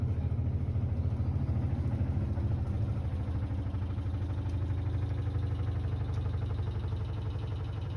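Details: A steady, low mechanical hum and rapid rumble, like a running washing machine, fills the clip with no animal voice.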